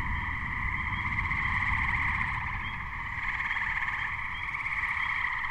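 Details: May 2010 Gray treefrog (Hyla versicolor) chorus shortly before a thunderstorm struck; continuous overlapping rattling trills, a few high Spring Peeper peeps in the background and heavy low rumble, likely wind or thunder.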